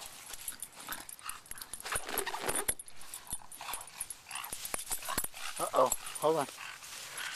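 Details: English Bulldog named Winnie playing with balloons at home, giving short rising whimpering yelps near the end, mixed with people talking and excited voices throughout.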